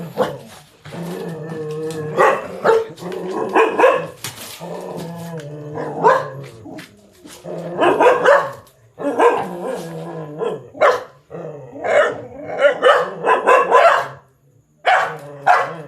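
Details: Pet dog barking at a big black stray cat that wanted to mate; short harmonic barks come in bursts with brief pauses, some with a growly edge, loud and close, continuing for about sixteen seconds.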